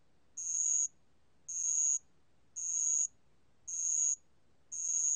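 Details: Steady high-pitched ringing bursts from a band-legged ground cricket, a 2020 National Institute of Biological Resources recording; five half-second trills separated by roughly equal silences, clean and unaccompanied.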